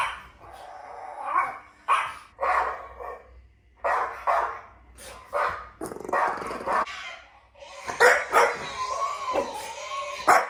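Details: Two French Bulldogs give short yips and barks that break into wavering, rising howl notes, reacting to strange sounds played to them.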